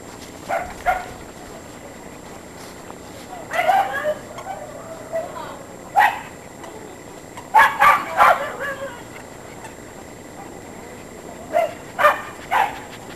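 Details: Norfolk Terrier named Monty playing with his favourite toy indoors: short, sharp barks and yips in quick clusters, some doubled or tripled, about five bursts spread across thirteen seconds, with quiet background between them.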